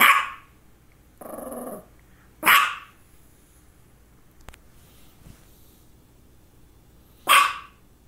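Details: A female dog, recorded between two focal seizures, gives sparse barks: one at the start, one after a brief rough noise, and a last one several seconds later, with quiet stretches between.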